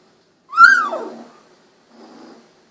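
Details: Golden Retriever puppies, 16 days old with eyes recently opened, indoors; one loud whine that leaps up then slides downward in pitch, followed by a softer, short rough grunting sound.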